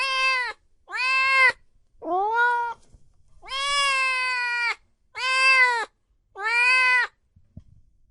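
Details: Loud meowing from cats and kittens: six strong, drawn-out meows in quick succession. One wavers and bends downward, and the fourth is held for over a second. There is a faint click near the end.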